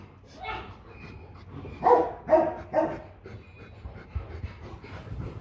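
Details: A Rottweiler kept as a family guard dog gives three loud, rich barks in quick succession at mid-clip, after a softer bark near the start; the rest is quiet with light rustling and low background rumble.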